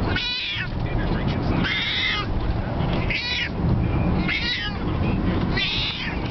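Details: Felix, a pet cat frightened on a car ride, meows loudly and repeatedly, five drawn-out harmonic cries about every 1.3 seconds over steady low road rumble, with a woman's voice comforting him.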